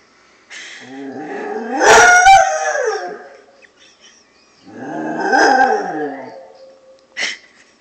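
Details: A Basset Hound howling at a ringing answering machine gives two long, wavering howls that rise and then slide down, with stifled giggles nearby.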